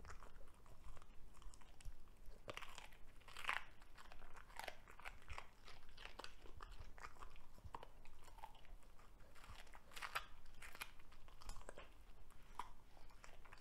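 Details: A Cavalier King Charles Spaniel, a dog that loves vegetables, devours a broccoli stalk inside; soft repeated crunches and bites crackle irregularly over a quiet, hissy room background.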